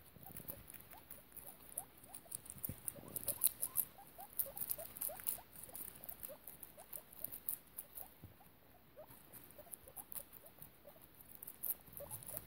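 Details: Fostered guinea pig mother Piggie Minaj and her babies: a long stream of small rising peeps, roughly three or four per second, against busy scratching and clicking in the bedding.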